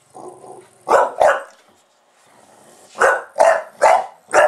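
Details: Buster the bulldog, a pet indoors, barks as soon as the camera is switched on: two sharp barks close together, a pause with a faint growl, then four loud barks in quick succession.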